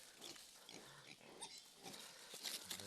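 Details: Domestic sow that has just given birth on a rural farm; short, high, squeaky squeals and brief grunts come in scattered bursts over a constant hiss, with faint voices in the background.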